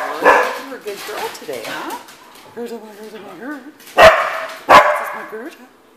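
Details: Morning at home with pet dogs, a female dog coming down the stairs: wavering, whiny vocal sounds followed by two sharp barks about a second apart, with a person talking to the dogs throughout.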